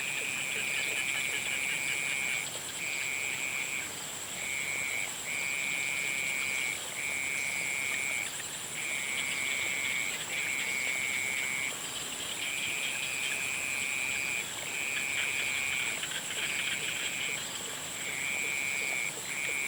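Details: Frogs at sunset give a run of high, buzzy trills, each lasting one to two seconds with short breaks between them, while insects keep up a steady high-pitched background whine.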